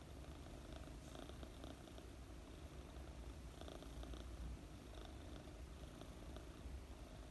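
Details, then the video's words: Low continuous purring from Mooni, a fluffy four-month-old British Longhair kitten, as she is stroked while resting; the even rumble pulses rapidly beneath quiet brushing sounds from the petting hand. "Pet a fluffy purring kitten - British Longhair cat"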